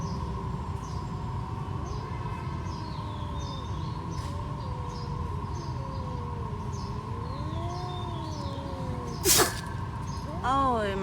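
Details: Stray cats squaring off, their drawn-out wavering yowls sliding up and down before a person sneezes on purpose near the end to break up the two, followed by a short burst of sound; steady hum and low rumble throughout.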